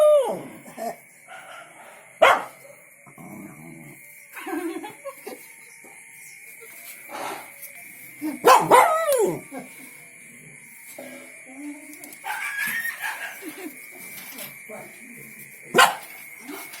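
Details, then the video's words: Happy shepherd dog reacting to the sound of its mates with scattered barks, yips and short whimpering sounds spread irregularly over seventeen seconds, loudest bursts near the start and middle, with a faint constant high tone. "Happy barking.....hearing mates."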